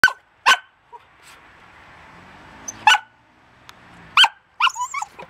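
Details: A pet dog barking: short, sharp barks come singly and in pairs at irregular gaps, with a higher yelping squeal near the end and a quiet background between them.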